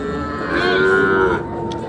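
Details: Cattle at a large cow market: a single clear moo lasting just under a second, steady and harmonic-rich with a slight rise and fall, over a low murmur of market background.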